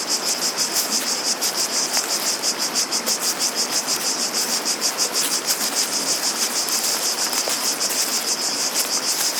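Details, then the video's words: Cicadas in nature: a dense, hissing high-pitched buzz, pulsing about three times a second in a steady shimmering rhythm, with faint low background rustle. "Relaxing Sounds of Cicadas"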